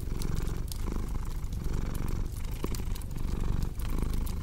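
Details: Rumbling purr from a cat, pulsing in short breath cycles, accompanied by a cozy fireplace whose crackles add sharp, irregular clicks above the steady drone.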